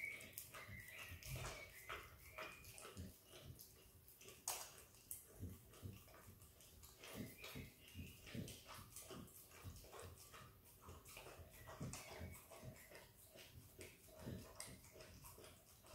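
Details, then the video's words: Australian Kelpie x Border Collie puppy Izzy, hungry and eager, licks peanut butter in a small room: a steady stream of moist slurps, tongue smacks and chewing clicks, sometimes doubled, over a low hushed background. "Happy puppy dog licking peanut butter!! Dog licks & eats peanut butter ASMR!"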